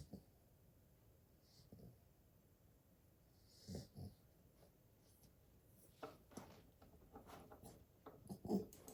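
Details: An 8-week-old Golden Retriever puppy snores softly, with quiet, irregular breathy rasps in a still room.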